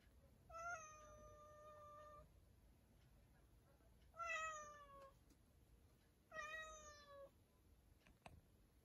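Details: Cat inside a storage room meows three times: a long, steady, flat first meow, then two shorter ones that droop slightly at the end, spaced about two seconds apart in a quiet room.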